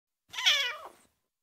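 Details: A four-week-old kitten gives a single high, thin meow that rises then slides downward.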